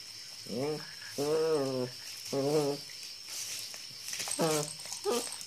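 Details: German Shepherd puppy in Imphal giving a series of drawn-out, harmonic whines, each rising then falling and lasting about half a second, with short pauses between them; faint rustling in the background.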